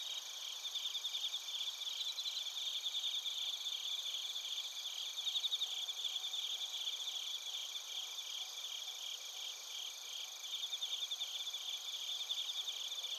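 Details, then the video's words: Bell crickets and crickets chorusing in Narita, Chiba Prefecture, Japan, captured on a TASCAM Portacapture X8: dense, shimmering high-pitched trills overlap continuously, with pulsed bursts repeating several times a second over a steady insect hum. "スズムシとコオロギの鳴き声 - Chirping of crickets"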